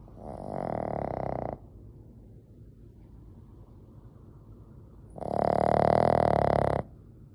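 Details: Sleeping Boston Terrier in its tenth year snoring: two long, rough, droning breaths about a second and a half each, separated by a quiet gap of several seconds, with soft background hiss.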